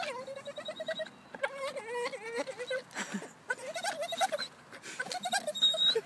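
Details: Staffordshire Bull Terrier dog playing, giving a run of drawn-out, wavering, whiny moans and groans, some rising and falling in pitch, broken by short pauses and a few sharper yelps near the end.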